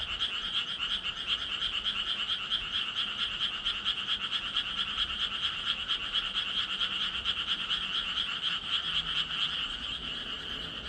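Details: Frogs croaking together in a steady, dense chorus of buzzy pulses repeated about twice a second, high-pitched and constant in loudness, with faint low murmurs beneath.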